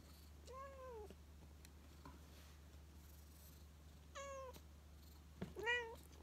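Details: Xiaolin, an odd-eyed white cat rescued in autumn 2018, lies affectionately on a lap and gives three clear meows: a bending first call, a second after a pause, then a rising-falling final meow, over a quiet low background hum.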